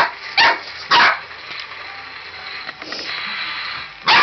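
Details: Red merle tricolour Border Collie puppy, born November 2013, playing with a robot dinosaur indoors: three sharp, loud barks at uneven gaps over a steady whirring, hissy background.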